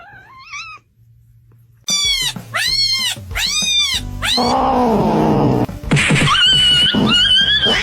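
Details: Domestic cat meowing in a funny cat compilation: one rising-falling meow, a pause, then a run of loud, arched meows about half a second apart, followed by drawn-out wavering calls over music.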